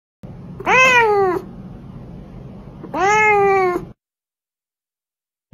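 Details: Domestic cat gives two clear, drawn-out meows about two seconds apart, each rising slightly then falling, in a quiet indoor setting.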